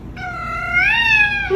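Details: Domestic cat giving a single drawn-out meow, rising in pitch midway and then holding steady before fading, clear and tonal with little background.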